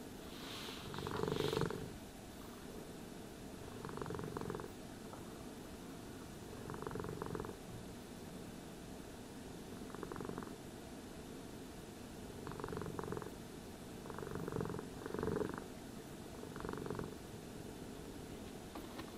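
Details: Cat purring during brushing and grooming, a continuous low rumble beneath repeated short swishing brush strokes, roughly every two to three seconds, with a louder stroke near the start.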